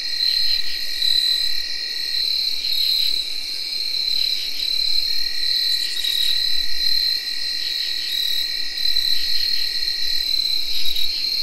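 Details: Tree crickets recorded in early October 2021: a steady, unbroken high whirring trill runs throughout. A lower continuous trill sits beneath it, and short rhythmic pulsed bursts from other insects in the chorus repeat every second or two.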